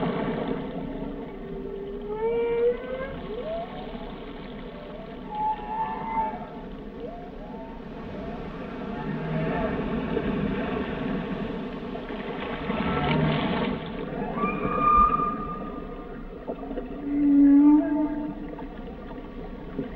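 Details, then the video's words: Whale song as a series of upward-sweeping whistled units and brief chirps, scattered between moans, ending in a loud low droning tone, with a constant underwater rumble behind. "Song of the Whales"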